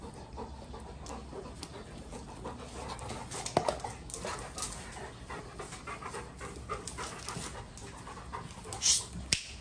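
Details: Two Golden Retrievers in excessive rough play, heard as steady, rapid, breathy panting with scattered soft scuffs and a few sharp clicks, the loudest near the end.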